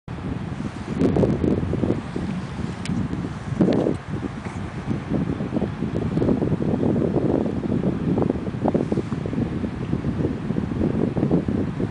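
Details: Steady low wind rumble buffets the microphone throughout, with faint rustling and possibly distant traffic, but no animal voice.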